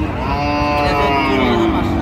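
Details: Cow bellowing at the Ambari haat cattle market, Dinajpur, Bangladesh, 8 August 2025. A continuous harmonic moo runs through the whole moment, slightly falling at the end, against a background of market crowd noise.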